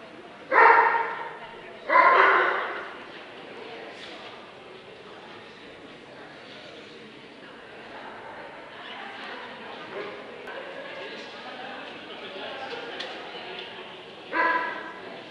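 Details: At the Scottish Dobermann Club championship show, 2012, Limit Dog class, a Dobermann barks twice in quick succession, then after a long pause of murmuring hall sounds, barks once more near the end.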